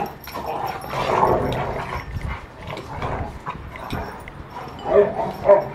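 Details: A Rottweiler at rough play gives rough, throaty growls and grumbles, then two sharp barks near the end.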